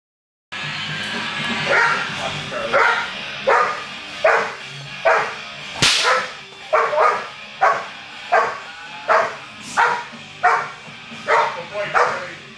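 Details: Charlie, a 21-month-old American Bulldog, barking during Schutzhund protection training on 10-7-11: loud, sharp barks repeated at a steady pace of roughly one every three-quarters of a second, with a handler's voice faintly underneath.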